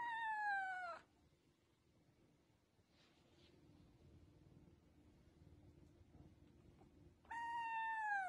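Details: Pet cat giving two clear, high, bright meows, each falling in pitch and about a second long, separated by roughly six seconds of near silence.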